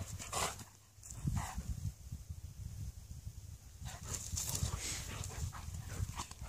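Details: Malamute and Husky dogs in friendly play fighting: low rumbling growls and huffs in uneven bursts, sharp scuffling bursts near the start, a brief quiet stretch, then renewed rough, broadband grunting toward the end.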